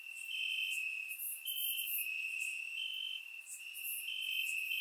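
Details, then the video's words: Bulgarian crickets calling in grass on a warm summer night, captured with a surround microphone; unbroken high-pitched ringing trill, occasional raised pulses, and soft higher buzzing from other insects. "Crickets Chirping at Night"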